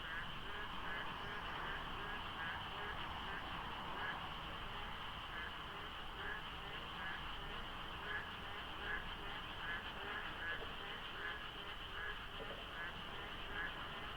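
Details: An enormous frog chorus fills the dawn at the Deokso IC expressway interchange in the rainy season, with light fog and sparse traffic. Croaks repeat roughly seventy-seven times a minute in a loose rhythm, layered over a continuous high chorus drone.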